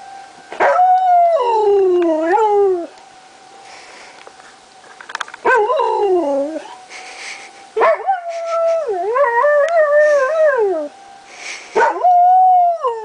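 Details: Howling dog Lazarus answers monthly tornado sirens, July 1, 2009, with several drawn-out sliding howls separated by short pauses, some bending upward then falling away, while a constant siren tone hums underneath.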